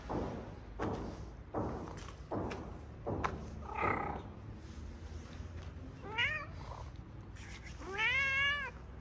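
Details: Homeless street cats in a Morocco neighborhood, wary of each other; several dull taps and thumps, then two rising-and-falling meows near the end, the second longer and louder.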